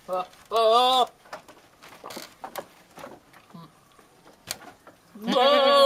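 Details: A courting billy goat yells at a nanny goat with loud, wavering nasal bleats at the start and end, separated by quiet voices and small knocks.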